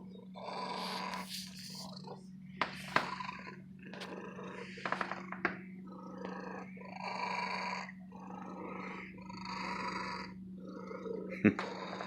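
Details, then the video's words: A female domestic cat living in an antique store purring contentedly, long and loud; rough noisy pulses in alternating breathing phases with brief pauses, a steady low hum underneath and a few sharp clicks and knocks. "My Lady Cat Purring, The Best Cat Purring Sound Effect"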